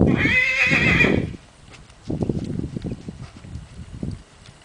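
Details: Appaloosa-coloured john (male) mule, described as quiet and easy to ride, gives a loud harmonic bray-like call for about a second, then steady hoof clip-clops on the ground.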